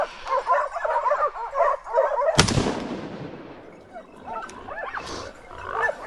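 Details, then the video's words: Pack of hunting dogs on a driven wild boar hunt in Sicily, yelping and barking rapidly together for two seconds before a sharp rifle shot, then scattered distant yelps as the echo fades. "Cani e canai, braccata al cinghiale in Sicilia"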